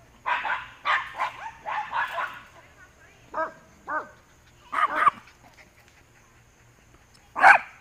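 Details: Fence-racing dog on September 17, 2015, giving clustered sharp barks at the start, two higher yelping barks near the middle, a quick pair after, and one loud final bark, with brief human speech around it.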